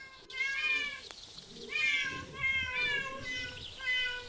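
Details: Cats filmed in parks, zoos and streets give a series of drawn-out, harmonic meows, each about a second long and slightly falling in pitch at the end, repeated with short pauses.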